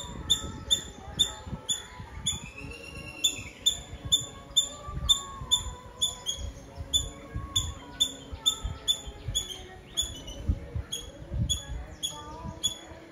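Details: Squirrel in Nazareth, Tamil Nadu, India, chattering a long, steady series of sharp high squeaky chips, nearly continuous across the clip, while quiet tonal music plays underneath.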